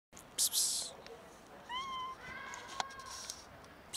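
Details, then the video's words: Sick-looking, scared cat trying to eat; a short rising-falling meow in the middle, then a longer flatter meow, among clattering noises. "This cat looks sick but is scared to approach and eat in peace"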